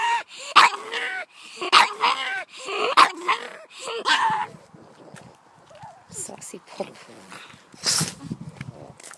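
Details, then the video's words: Pug reacting to two terriers coming down the driveway: three strained, whining barks about a second apart, then quieter scattered sounds and a person talking. "Pug making weird noises"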